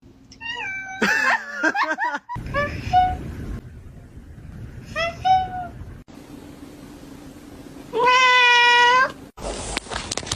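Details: Cat meowing: several short harmonic meows, some bending upward, then a long, loud, steady meow lasting about a second near the end, with a brief human voice and room noise.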